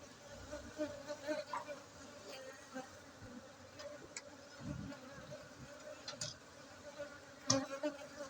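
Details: Honey bees at an apiary in Gayo, Aceh, Indonesia: a steady low hum with faint harmonics, broken by brief louder passes of individual insects flying close, plus scattered clicks and knocks.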